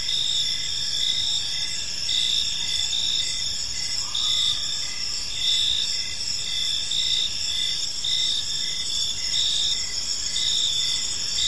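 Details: Evening chorus of crickets in a tranquil park: bright, continuous high trills in several bands plus a rhythmic lower chirp beating steadily, and one brief faint whistle partway through.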